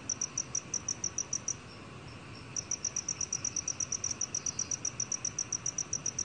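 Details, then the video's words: Black cricket chirping in a 2020 National Institute of Biological Resources recording: quick high pulses, a pause of about a second, then the rapid chirping resumes steadily to the end over quiet hiss. "검은귀뚜라미, 여러번 듣기, 곤충소리"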